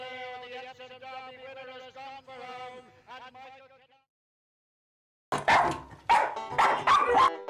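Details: Seven-year-old female West Highland White Terrier that likes watching horse racing on TV, giving a long wavering whine-like howl with pulsing breaks for about four seconds, then silence and loud television race commentary.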